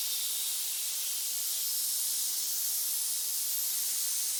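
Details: A snake hissing: a steady, unbroken broadband hiss concentrated in the high frequencies, lasting throughout with no other sounds.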